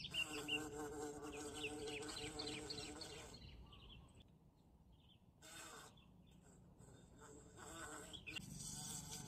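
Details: A bee caught in the bush buzzes loudly and evenly for about three seconds. Quieter rustling and handling sounds follow, then a faint buzz returns near the end.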